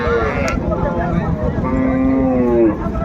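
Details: Cow with calf at Raniganj cattle market in Dinajpur, Bangladesh, on 6 March 2025: a low, drawn-out moo that sags slightly at its end, heard over busy market chatter and men talking nearby.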